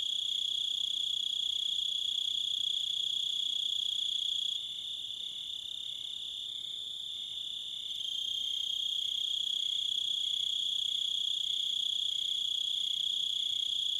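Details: Crickets sing a continuous, shrill, high-pitched trill that holds a steady pitch throughout, with a brief softer stretch in the middle; no other animals, wind or voices are heard.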